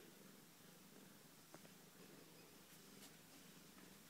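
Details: Australian Mist cat kittens cuddling with their mother: a steady, low, continuous purring rumble fills all four seconds, with a couple of faint soft clicks over it.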